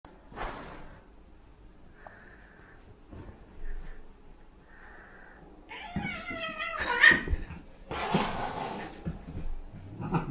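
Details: Two male cats fighting indoors, Tom, a black-and-white cat, and Shiro, a silver Bengal kitten. Soft breathy hisses and rustling are followed by a wavering, drawn-out yowl, then sharp spitting hiss bursts and scuffling.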